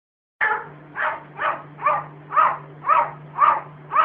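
A cat gives short, harsh, bark-like yelps, repeated about twice a second.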